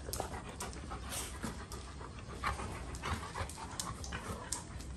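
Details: Two Golden Retrievers in excessive rough play, about to be broken up; quick, rhythmic panting breaths and scuffling fill the five seconds as a steady, noisy texture, with a few sharper bursts midway.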